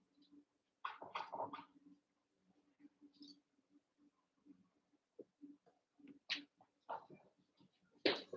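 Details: Eight Cavalier King Charles Spaniel puppies, about one month to seven weeks old, wrestle and play together in an indoor pen; short bursts of high yips and squeaky growls come in clusters, with scuffling between them.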